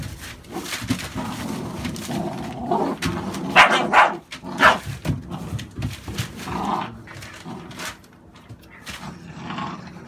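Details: Barking from an American Staffordshire Bully, a breed shown here among puppies born 11/16/2017: three loud, abrupt barks in quick succession near the middle, with softer rumbling dog noises and room sounds before and after.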